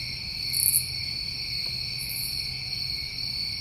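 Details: A continuous shrill trilling of New England crickets in summertime, with two brief, very high rasping bursts about one and a half seconds apart over the steady drone.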